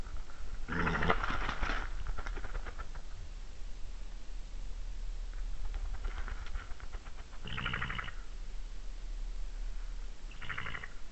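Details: European badgers at a den entrance in Saaremaa, Estonia, filmed by webcam at night in March: a male tries to enter, the female refuses and they fight; harsh loud squealing bursts and rapid chattering growls over steady background hiss.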